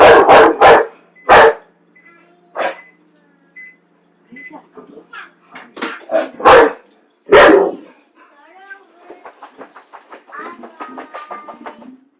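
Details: A pet dog that hates popcorn on a Friday night: sharp barks open the recording, then sparse barks among quieter sounds, ending in a rapid string of soft pops and faint voices.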